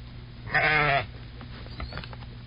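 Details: A sheep (Ovis aries) gives one loud, wavering, nasal bleat lasting about half a second, followed by soft rustling over a steady low hum.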